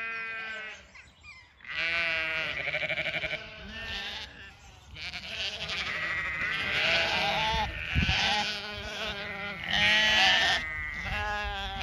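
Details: Zwartbles ewes calling across two fields in County Kilkenny, Ireland, bringing the flock for their evening feed; a loud, near chorus of many overlapping quavering bleats, almost continuous throughout.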